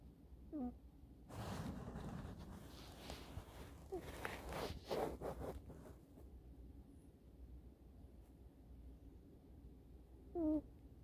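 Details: Eddy, a sleeping kitten snoozing indoors on a sofa with his chin resting on his forearm. A brief whistled snore opens the recording, soft rustling follows in the middle, and a second squeaky snore comes near the end.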